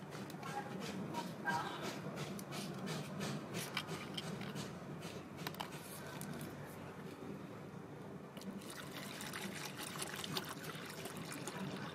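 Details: Steady trickle and pouring of liquid indoors, with dripping and a murmur of speech; no animal voice.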